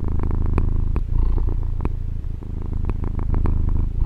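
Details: Short stretch of a female pet cat's purr, recorded with a Tascam DR-40. A dense low rumble runs without a break, dipping slightly once mid-breath, with a few tiny clicks on top.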